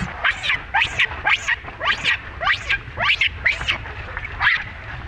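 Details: Monkey baby Rainbow being mistreated by mother Libby. Shrill, strained cries arch upward and fall, repeating in an even rhythm about every half second, nine or ten in a row, over a faint low hum.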